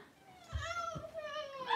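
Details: Three-week-old blenheim Cavalier King Charles Spaniel puppies, a litter of five in an indoor puppy pen, wrestling and playing; one long harmonic whine glides slowly downward over nearly two seconds, with soft thumps of movement underneath.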